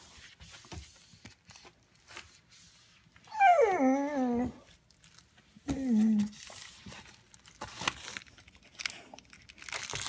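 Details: A Vizsla dog, frustrated and wanting a toy, gives two rising-then-falling whines, the first long and wavering, the second short, amid crinkling and tapping sounds indoors.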